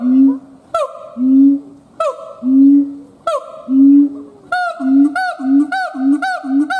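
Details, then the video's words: A siamang gibbon gives long swelling low booms broken by sharp upswept cries, then shifts into rapid short barks with bright overlying whoops repeated about once a second. "Siamang Gibbons monkay howling"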